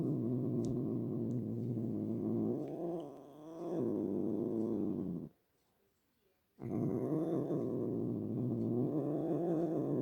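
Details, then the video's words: Domestic cat indoors making a low, rumbling growl with a rough, pulsing texture, briefly softening near the middle and stopping for about a second before resuming steadily to the end. "My cat making sounds"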